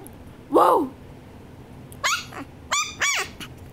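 A Shih Tzu gives a drawn-out, arching bark, then three short, sharp, high-pitched barks.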